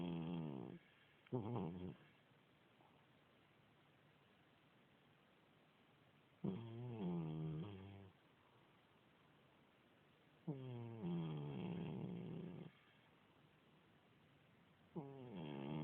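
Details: An old domestic cat, about 16 years old, with a continuous cold, snores loudly in rough nasal breaths with a buzzing, harmonic tone. They come roughly every four seconds, with quiet stretches between them, indoors.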